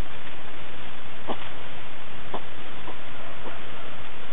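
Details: European hedgehogs in bushes by the Vistula around 11 pm, eating and huffing and snuffling in short, breathy bursts about a second apart.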